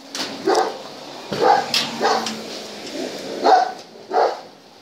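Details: German Shepherd during a temperament test, giving a series of short barks spaced irregularly, roughly one every second or so, with some sharper yelping notes between them against a hissy background.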